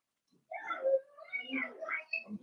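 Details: Four-week-old Cavalier King Charles Spaniel puppies from Daisy's litter, indoors in their puppy pen: a wavering, tonal whine of shifting pitch running for about two seconds, rising and falling in several connected squeaky notes.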